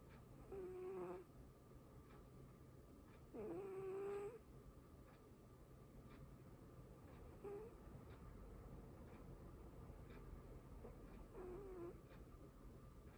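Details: Pochi, a house cat, sleeping and snoring, two clearer breathy snores with a thin whistling tone, then fainter ones, set against constant low room hum.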